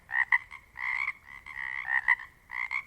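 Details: Pacific chorus frogs calling together in the Pacific Northwest, overlapping voices of several frogs: raspy, pulsed croaks doubled at two pitches, bursts of about half a second separated by short gaps, a continuous chorus texture underneath.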